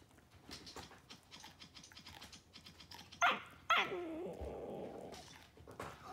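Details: A 3-month-old Corgi puppy gives two sharp, high yips, the second trailing into a thin whine, trying to get another dog's attention away from chewing a rawhide.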